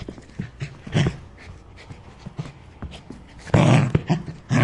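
A Rottweiler gives deep, booming barks, singly and then in a louder, harsher pair.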